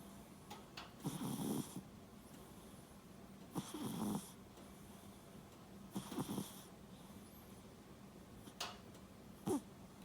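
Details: Sleeping domestic cat snoring, said by a vet possibly to have small nostrils while otherwise healthy: soft, breathy rasping snores roughly every two and a half seconds, with quiet hissing breaths in between.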